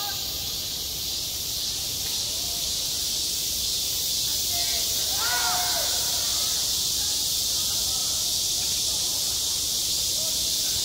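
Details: Loud, steady cicada song at a school playground in midsummer, a sustained hissing high band; midway a brief cluster of faint distant voices sounds beneath the constant buzz.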